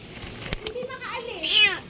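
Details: Kitten with its paws trapped and crushed under a vehicle gives a drawn-out, bending meow late in the clip, following a woman's sympathetic Tagalog talk.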